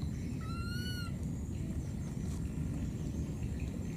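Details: A lost baby monkey calls for its mother in the wild. Early on there is a single piercing, harmonic cry, gently arched and lasting well under a second, followed by a steady low background hum.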